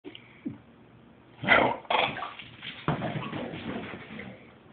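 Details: Frog, a pet male Victorian Bulldog, 'talking' in a little conversation with his owner indoors: short whiny grumbling vocal bursts with a couple of louder yowling moans, set against a quiet room.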